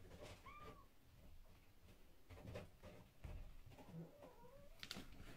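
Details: Pixie-bob kittens playing with a scratching post indoors give two short, thin meows, one curving down early on and another rising then falling near the end, over steady scratching, rustling and soft thumps of play.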